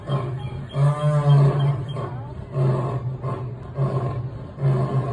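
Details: A lion at the National Zoo roars in deep, throaty bursts that come again and again in quick succession.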